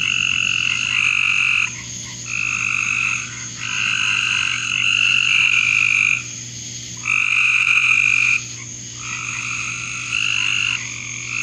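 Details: Frogs calling in a backyard: long, buzzy, pulsing trills that each last one to two seconds and come back after short gaps, sometimes overlapping, over a steady high-pitched background hum.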